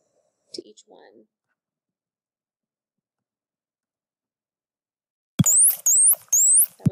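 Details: A dolphin gives high, looping whistles, repeated three times in quick succession with sharp clicks; one of several dolphins' whistles compared to show individual differences.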